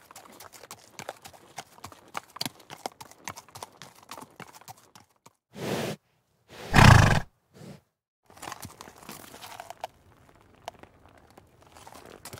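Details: Trotting horse gives quick clip-clop hoof strikes for about five seconds, then loud rumbling bursts of noise break in before fainter hoofbeats return.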